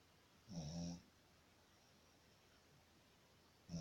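A Shih Tzu snores in low, rumbling breaths with a raspy hiss on top.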